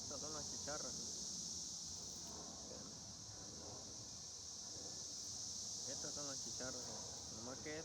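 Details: Cicadas keep up a steady, high, shimmering buzz without pause, while a person talks over it in short bursts.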